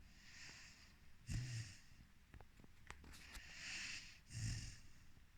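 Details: Rhodesian Ridgeback puppy Floki, four months old, snoring in sleep: low snorting inhalations with breathy hiss, a pair of louder snores about three seconds apart and small clicks between them.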